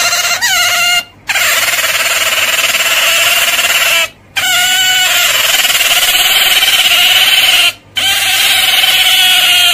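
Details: Otter giving long, steady, high-pitched whining squeals rich in overtones, each held for several seconds and separated by brief silent breaks, with a slight upward slide at the start of each call.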